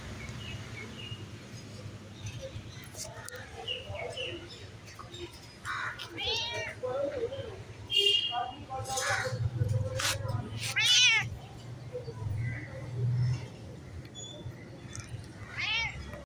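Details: A white stray cat eager to play meows several times, short bent calls that rise and fall, coming in a burst around the middle and once more at the end, mixed with a person's speech and a low background hum.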